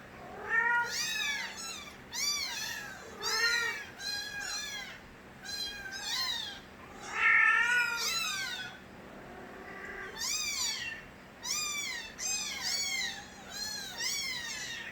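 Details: Loud crying from Nabi's stray kittens, several voices overlapping in a dense chorus of arched, wavering meows that pile up in bursts with barely a pause, some strained and yowling.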